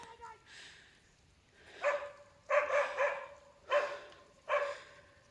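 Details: Female dog barking at langurs, a quick dog that once caught a langur before the others came to free it; a brief voice first, then four or five loud, harmonic barks in an irregular run, some doubled.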